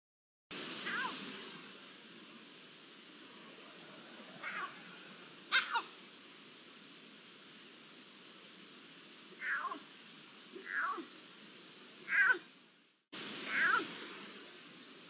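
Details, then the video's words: Iberian lynx calling, recorded 11-09-23: about seven short, sharp calls that drop quickly in pitch, given at irregular gaps of one to four seconds over a steady background hiss. "La llamada del lince"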